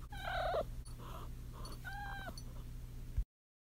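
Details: She-kitten in heat gives a quavering downward trill, then after a pause a softer level chirrup, over a low steady hum before the sound cuts off.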